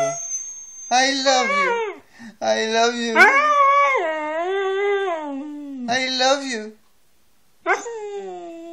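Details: Siberian Husky howling and talking indoors: long, wavering, moaning howls that bend up and down in pitch, broken by short yips and pauses, one drawn-out howl lasting about four seconds.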